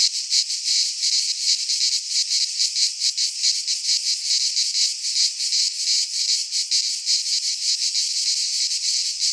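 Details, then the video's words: In a Greek pine forest in midsummer, cicadas keep up a steady high-pitched buzz, loudness throbbing irregularly through the whole stretch, with no other sounds. "Cicadas singing in midsummer - Nature sounds from the Greek fauna - Sounds of cicadas"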